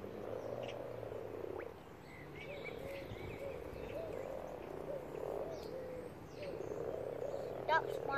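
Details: Massed common frogs spawning in a pond, more than a hundred present; steady low croaking chorus swelling and fading in waves, with scattered high bird chirps over it.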